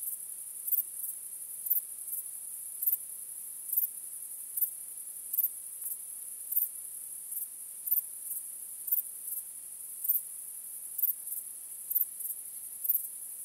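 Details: Crickets chirping on a starry night: a steady, very high-pitched shimmering trill runs throughout, with louder chirp bursts about once per second, roughly seventeen across the stretch. No other sounds.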